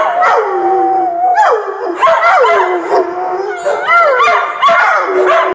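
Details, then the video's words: Overlapping dog howls, loud and wavering, each call swooping down in pitch before holding a long tone, joined by short high yips from the group. "Howling Buddies"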